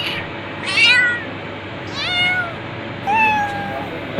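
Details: Cat calling with three distinct meows about a second apart, the first two arching up and down, the last longer and level, over low steady hum.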